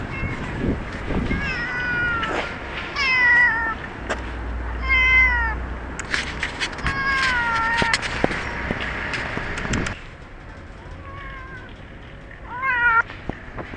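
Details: Cat at a shopping centre, outdoors in an urban setting, meowing repeatedly: short falling mews, roughly one every two seconds, some wavering, over a steady hum of crowd and traffic noise, with clatter and a low rumble.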